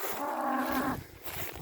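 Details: Limousin cattle being driven on to the next pasture, outdoors on a farm: a single short moo, steady and nasal, lasting under a second, followed by soft rustling and trampling.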